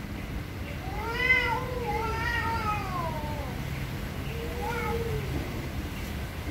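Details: Loud meowing from an angry cat: drawn-out, arching howls that swell and sag in pitch, then a second shorter wail after a pause, over steady low background hum.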